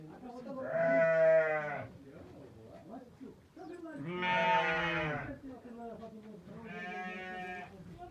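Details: Sheep bleating on 23 October 2023, from a ewe that delivered quadruplets, two male and two female lambs. Three long, harmonic, quavering bleats come roughly every three seconds, with quiet talking in the gaps.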